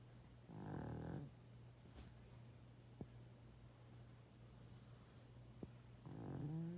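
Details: Sleeping 12.5-year-old male pug giving loud snores: a raspy, rumbling breath near the start and another about five seconds later, with a low constant hum and two faint clicks between them.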